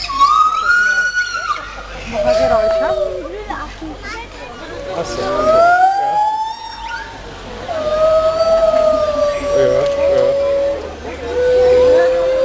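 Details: Singing white-handed gibbons at Zoo Schönbrunn, June 2011, give clear whistled glides, rising and falling swoops repeated every few seconds, while crowd voices and children talk loudly throughout.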